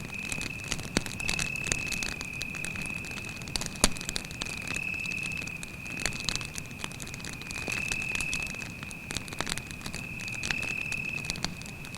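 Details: Cricket at night beside a forest campfire: an unbroken, thin, high trill holding one steady pitch throughout, with sharp crackles and pops from the burning fire.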